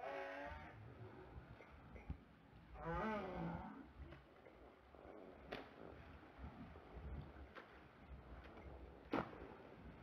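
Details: Two Southern right whales, recorded by hydrophone during a mating event in Table Bay, South Africa, on 8 April 2021, give low, moaning calls with wavering, rising and falling tones over steady underwater noise.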